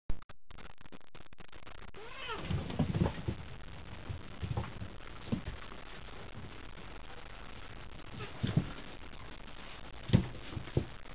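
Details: Two domestic cats, Chataro and Kochataro, battle with puffed-up tails at a nighttime cat gathering while a white cat, Shiroko, darts around them. Low, rumbling growls build into a drawn-out arching yowl, followed by scattered thuds and scuffles.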